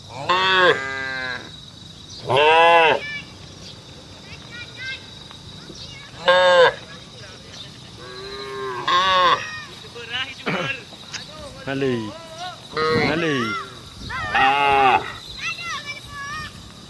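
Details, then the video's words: Cattle on a road calling the herd: many moos in quick succession, some loud and brief, others overlapping, mixed with shorter higher-pitched bawls toward the end. "SUARA SAPI BUNYI MANGGIL KAWANAN"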